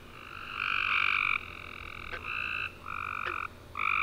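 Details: Nighttime tree frog chorus following a warm summer rain, heard as a run of buzzy trilled calls, the first loud and over half a second long, then shorter ones separated by short gaps and faint ticks.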